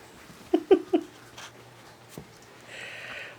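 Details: Six-week-old yellow Labrador Retriever puppies from a litter of seven play indoors; three quick, high yelping yips sound in a fast burst, then quiet room noise, a soft thump and a faint hiss.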